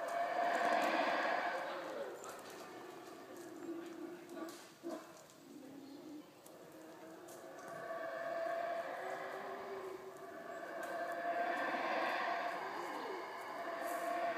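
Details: Wild howler monkeys near the visitor center at Xunantunich, Belize, roaring in deep drawn-out swelling waves that rise and fade, with a continuous rushing background.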